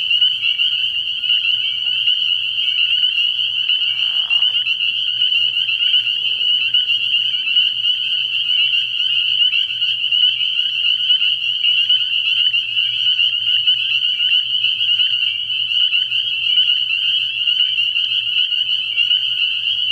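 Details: Early-year night chorus of spring peepers at a frog pond: an intense, unbroken blanket of high shrill peeps from many frogs, with a brief lower sound near the start and a soft low hum throughout.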